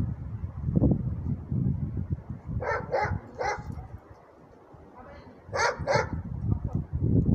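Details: Alaskan Malamute barking during training: a few short, sharp barks in two bursts, around a pair at first and then another pair after a quiet spell, over a steady low rumble and handling noise.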